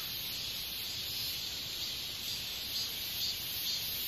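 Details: Steady, high, sizzling buzz from a katydid, Hexacentrus japonicus japonicus, continuous and even across the few seconds, with small pulsing swells.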